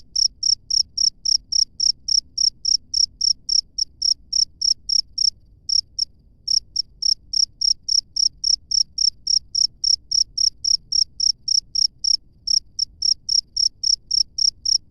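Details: Cricket heard live in natural surroundings, giving a long series of sharp, high chirps at about three and a half per second, occasionally skipping a beat; soft low-frequency background noise.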